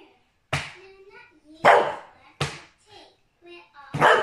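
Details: An English Bulldog playing roughly with his owner and acting "mad" gives four deep, gruff, explosive barks about a second apart, with a person's voice murmuring faintly between them.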